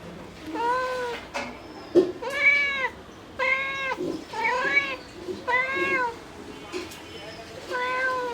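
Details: Mother domestic cat calling for her kittens: a series of clear harmonic meows, each arched and about half a second long, repeated roughly every second, with faint clicks and rustling between calls.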